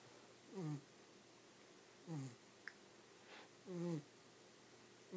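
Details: Sleeping pet dog snoring nonstop: three low, harmonic, groaning snores spaced about one and a half seconds apart, each sliding slightly downward, with a soft breathy hiss and one brief click between them.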